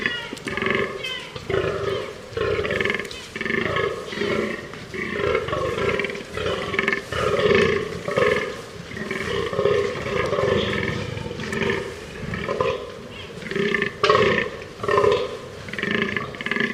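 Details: Fallow deer calling with a long run of rough, burping groans, pulsing steadily about twice a second with hardly a pause, grating and nasal in tone, carrying on evenly throughout.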